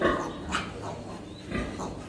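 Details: A sow on her third day after giving birth, with piglets, gives short, rough grunts in uneven bursts, several within two seconds.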